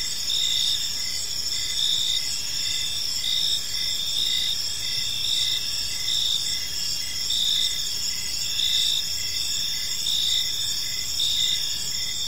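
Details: At evening in a tranquil park, crickets chirp in a shrill overlapping chorus; one clear trill pulses in short repeated bursts while the others hum steadily behind it.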